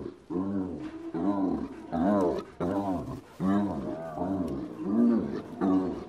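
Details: Spotted hyena giggling: rapid series of harmonic, arched staccato notes in bursts about every half second to second, each cackling run breaking off before the next; loud and close, no other sounds.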